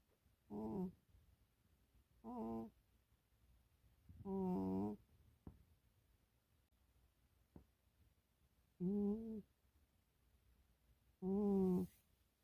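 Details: Sleeping, dreaming house cat named Milo twitching as it snores indoors; five buzzy harmonic snore bursts of varying length at irregular gaps of two to three seconds, a couple of faint clicks in between.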